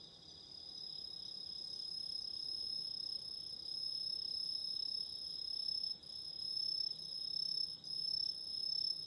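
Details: Autumn insects calling at night beside a candle flame: a continuous high, shimmering trill in steady bands, briefly dipping twice near the end, over a soft low hiss.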